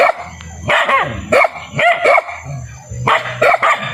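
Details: Barking dogs give bursts of two or three quick, rough barks separated by short gaps, with a constant low drone underneath.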